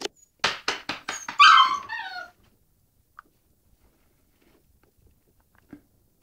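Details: Female puppy falling downstairs: a rapid run of about six short, sharp yaps, then a high, wavering whine that slides downward and fades out, leaving near silence with a couple of faint clicks.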